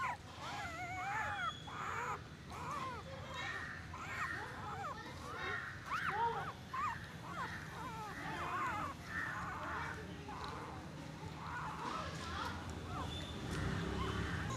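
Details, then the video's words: Newborn puppy squeaking and whimpering: a steady stream of short, high, arched squeals, each bending up then down, packed closely and overlapping for the whole stretch over a low background rumble. "newborn puppy sound effects & movement"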